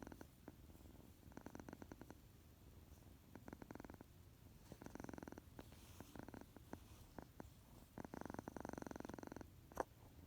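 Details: Just awake from his nap, a tuxedo kitten purrs loudly, a low vibrating rumble broken into repeated louder surges, with a short sharp burst near the end.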